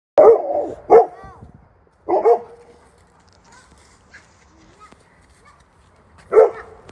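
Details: Newfoundland guard dogs, Landseer type, on a hike; deep, loud single barks come in short bursts, two close together, then a pair, then one more after a long pause, with faint voices between.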